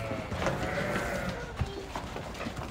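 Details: Pregnant ewes in a livestock setting bleating: several wavering, harmonic bleats in the first second and a half, over steady low rumble, clatter and background voices.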